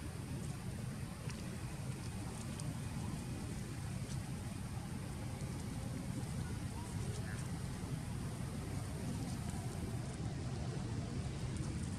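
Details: Steady broadband rumble like passing traffic or rain fills the recording, with faint traces of distant voices.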